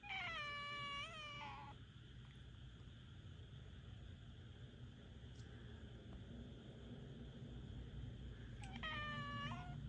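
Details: Rika, a Minuet cat, complaining in the middle of the night: a long, drawn-out, slightly wavering meow with a rich harmonic stack at the start, quiet hum and background hiss, then a second shorter, rising meow at the end.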